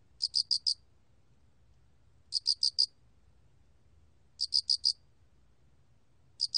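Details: Close cricket (알락귀뚜라미) song, chirps made of four clear high pulses in quick succession, groups about two seconds apart, otherwise near silence apart from low hum.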